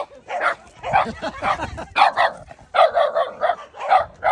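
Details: Shiba Inu named Shimeji facing a gorilla, giving a quick run of short, harmonic barks and yips with brief gaps between bursts; the calls blur together at moments, and speech may be mixed in.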